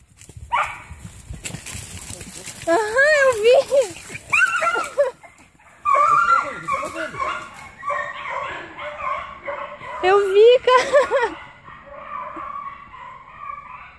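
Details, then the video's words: Hunting dogs chasing an agouti, giving bouts of yelping, wavering baying barks, several voices overlapping in quick succession, mixed with a man's excited talk. "cachorrada correndo cutia"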